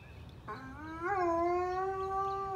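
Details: High-content wolfdog Kane starting a howl at a siren test on a first-Monday morning at home; a low note sweeps upward into a sustained, steady, harmonic-rich howl.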